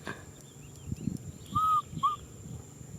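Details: Two brief arched cries from baby macaque Nui Simon, who is crying for a hug, a longer one and then a short one, over low background rumble.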